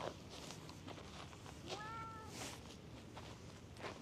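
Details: A stray cat in a park, seeking petting, utters a brief level meow after a soft thud, with footsteps and faint voices around it outdoors.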